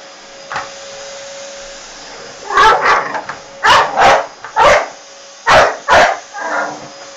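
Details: An American Staffordshire Terrier fights a vacuum cleaner, letting out one short yap, then a tight run of rough, snarling barks, mostly in pairs, against the constant whine of the running appliance.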